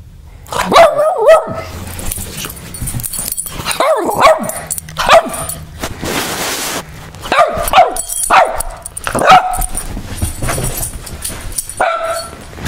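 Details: Angry Boston Terrier named Spoofer, mad at being filmed, gives a series of short harsh barks and growly yips, several bursts spaced about a second apart, while a person talks to it in between.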